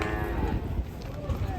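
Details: Cattle coming off a truck during unloading in Indonesia; a short harmonic moo at the start under heavy low rumble and handlers calling out.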